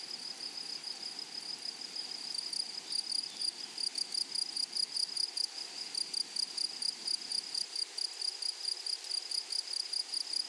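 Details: Meadow grasshoppers singing: a continuous high-pitched rasping trill of fast, even pulses, unbroken for the whole stretch, over a soft hiss of background insect chorus.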